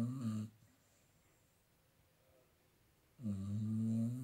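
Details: Staffordshire Bull Terrier named Bek, lying comfortably and asleep, gives two low, rasping, harmonic snores about three seconds apart. The first is brief and the second longer. The room is quiet between them.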